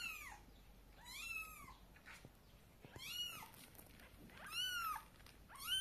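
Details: Domestic cat, a mother carrying her kittens to bed in her mouth, gives loud, drawn-out meows that rise and fall in pitch, four separate calls spaced about a second apart, with quiet pauses between.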